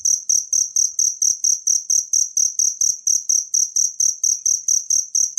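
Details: Cricket sound from nature, intended for teaching songbirds, with clear shrill chirps repeated about four times a second in a strict even rhythm and little else audible but soft low pulses.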